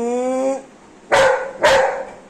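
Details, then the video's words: Golden Retriever female, happy after her bath, gives two sharp barks after a brief tonal whine at the start; a woman speaks nearby. "স্নান করে এসে Anna খুব খুশি"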